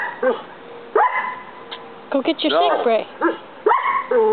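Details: Collie that habitually barks only at one roommate; irregular loud barks at the start and end with a person's voice talking in the middle.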